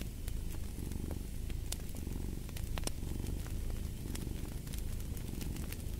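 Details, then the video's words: Soft rumbling purr of a cat mixed with fireplace ambience, the low drone swelling gently in breath-paced waves while crisp crackles and pops of the fire break through. "Fall asleep to the Purring of a Cat"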